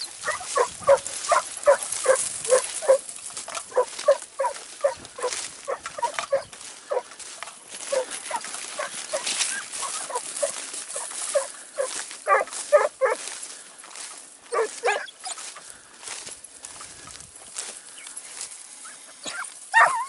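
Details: Segugio Italiano on a training run in Evros, 12 September 2018, giving a long, dense chorus of quick, yelping bays amid steady hiss and rustle, barks crowding together almost continuously.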